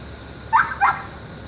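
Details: Intact male border collie showing interest in a woman, giving two short, high, whiny yips in quick succession, with a faint low background hum.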